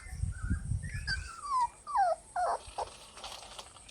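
A three-week-old Rottweiler puppy whines in thin, squeaky cries, each sliding down in pitch and coming about once every half second. Low rumbling handling noise sits under the first second.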